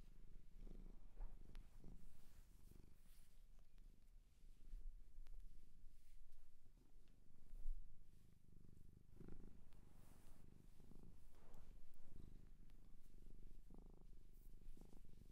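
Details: Japanese shelter cat, now a pet, purring for a long stretch, the low rumble pulsing and swelling in waves, with occasional rustling and light bumps of handling.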